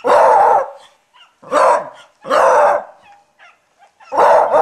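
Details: Toby, a Beagle, gives four loud, long baying barks roughly every second, each a harsh, sustained howl-like bark with short quiet gaps and faint snuffles between.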